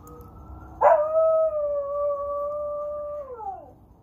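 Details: A female American Eskimo dog gives a long, steady howl that holds its pitch then slides down at the end, howling in response to sirens; American Eskimo dog.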